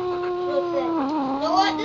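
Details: A Siberian Husky, a new dog in the home, gives a drawn-out, wavering howl that dips low and climbs again while barking at the household cat, which dislikes it.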